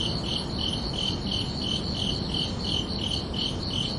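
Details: A summer night soundscape of crickets: bright, high chirps repeated in a quick regular rhythm, close to three per second, layered over a soft, steady background hiss.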